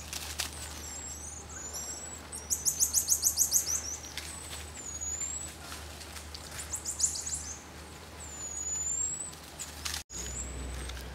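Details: Marmosets during social interactions: very high, rapid pulsed trills in two bursts, around the third and seventh seconds, alternating with thin sliding whistled notes, all over a steady low hum.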